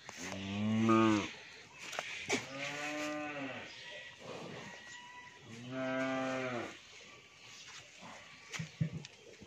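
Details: An 11-month-old Australian bull calf on a dairy farm in Pabna, Bangladesh, lows three times in steady succession, each moo lasting one to two seconds, with soft background clatter between calls.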